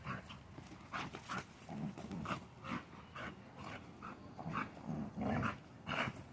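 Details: Merle pit bull puppy during a training session, giving a run of short, rough bursts of sound repeated about every half second, some doubled, at low volume with a faint background hiss.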